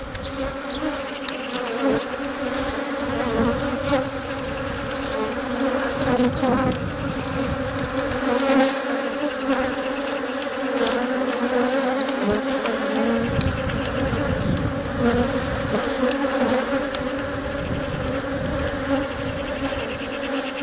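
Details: Colony hum from honey bees tending their egg-laying queen in the hive, workers guarding and feeding her; continuous buzzing drone with steady layered tones, small rises in loudness, and soft rustling beneath.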